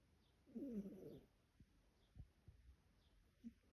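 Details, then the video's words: Adopted female shelter cat snoring while asleep: one rough, low, buzzy snort in the first second, then quiet breathing with soft faint clicks and a small wheezy note near the end. "My cat snores."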